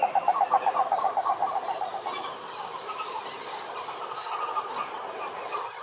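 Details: Wild cane toads at a Brazilian Atlantic Forest lake: a loud, rapidly pulsed trill at the start that softens into a continuing background chorus, with scattered short high bird notes.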